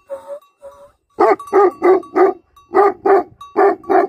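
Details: Short whines followed by two rapid series of gruff barks from livestock guardian dogs, each bark full and rasping, roughly three per second.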